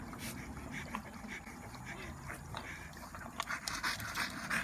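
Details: A French Bulldog just back from a walk on a hot day pants in quick, breathy, slightly irregular bursts, with a person talking softly nearby.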